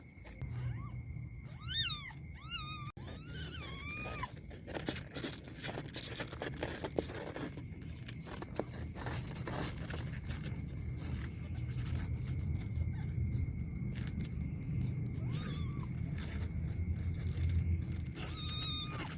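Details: Kittens fighting indoors: a burst of thin, high squealing cries early on, then mostly scuffling thumps and rustling, with a few brief squeaks near the end and a steady electrical whine throughout.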